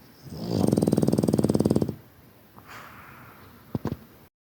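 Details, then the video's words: A sleeping Boston Terrier snores with a loud, rapidly fluttering rattle that lasts over a second. "Boston Terrier sleaping (snoring)"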